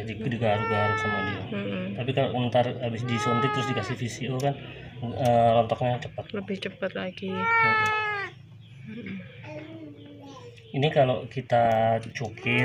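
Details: Crying cat badly sick with scabies, hungry and thirsty, asking for help at a house: three clear, bending meows spaced a few seconds apart, over steady background talking.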